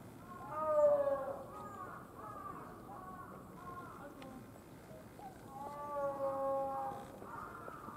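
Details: Quarrel among gibbons at Tama Zoological Park, Tokyo, Japan: a series of hooting notes, some bending upward, that come in two bursts, strongest near the start and again about six seconds in, over steady background hum.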